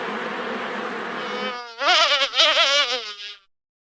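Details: Honey bees at a large wild honeycomb being harvested in an Indian village make a low, even hum, then a nearer bee passes with a louder, higher buzz that wavers before cutting off.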